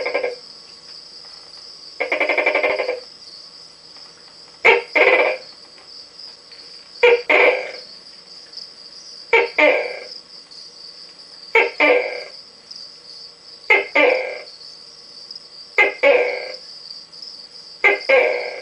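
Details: A male Tokay gecko gives his first loud, throaty two-part 'to-kay' calls of the night over a steady insect hum. One comes from the back of his enclosure and one from inside his tube, where the call sounds different.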